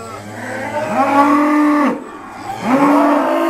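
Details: Irish Dexter cows moo during a noisy day of sorting at Stone Meadow Farm; two harmonic bellows, the first rising then held for about a second, a short pause, then a second rising moo.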